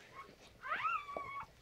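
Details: Indoors, during a standard poodle's whelping of a litter of seven, one thin whining cry rises sharply and then slowly falls, lasting about a second. It is quiet, with faint shuffling in the room.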